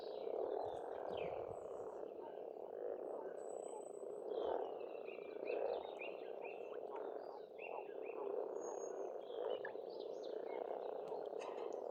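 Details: Frogs calling in spring at a pond in Estonia: a dense, continuous mid-pitched croaking chorus with swells of loudness. Birds sing over it throughout with short whistled phrases and chirps.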